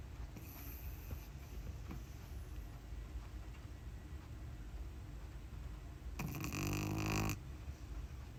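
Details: Uni, a pug puppy recently brought home, snores while asleep: one loud, raspy, buzzing snore with a layered rattling tone late in the clip. Before it there is quiet breathing and room hiss.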